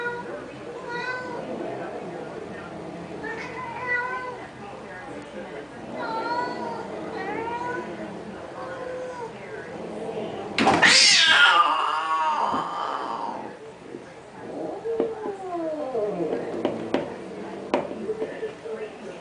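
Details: Cats fighting over a car: a run of short, bent meows every couple of seconds, then a loud harsh spitting burst, followed by falling wails, with people's voices underneath.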